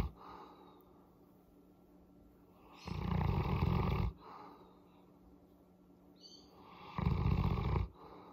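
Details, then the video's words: Molly the Boerboel, relaxed under a head massage, gives two low, rasping, breathy rumbles about four seconds apart, each near a second long, like soft snoring, over a quiet indoor background with a faint constant hum. "Boerboel Molly purring"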